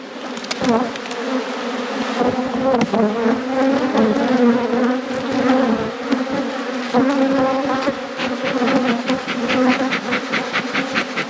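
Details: Honey bees buzzing loudly at an apiary in peak production, a steady drone with wavering pitch from bees circling nearby, pulsed clicks toward the end.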